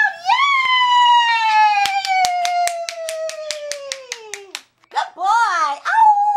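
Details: Nelson, a pet Toy Poodle, howls indoors after doing tricks (sit, shake, turn around): one long, steady, tonal howl slowly sinking in pitch for over four seconds while hands clap along, then shorter rising-and-falling howls.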